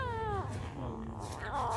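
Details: A little kitten guarding its food gives a drawn-out, falling whine that slides down in pitch, then a short rising cry near the end, over a low room hum.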